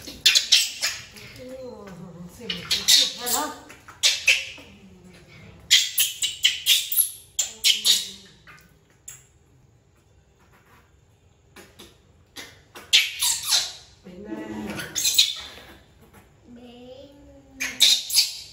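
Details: Baby monkey Bean, an orphan picked up from the jungle by villagers, screams loudly at his mother because he wants to hug her while she tries to clean him; bursts of shrill, high screeches come in repeated volleys with short pauses between.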